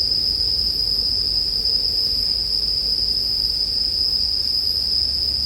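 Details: High, even ringing of bell crickets runs without interruption, layered with soft campfire noise and a low steady hum, made as calming sleep ambience.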